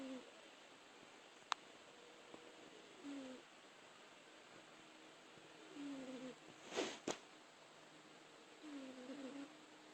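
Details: Rupert, a pet cat, snoring while asleep indoors: soft, nasal, whistle-like snores that bend in pitch and recur about every three seconds, with a quiet room hum behind and one sharp click.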